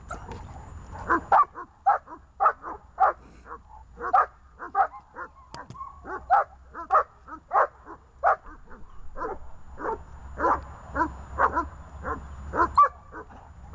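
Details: Leashed dogs Glemmy, Fela and Rey barking excitedly: loud, rapid, overlapping barks in bursts, a brief quieter stretch in the middle, then another fast volley, with a low hum behind.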